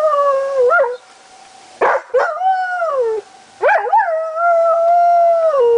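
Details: Lazarus the dog joins the monthly tornado sirens on July 1, 2009, giving three wavering howls that swoop up then sag downward, the last held long, against a level siren drone.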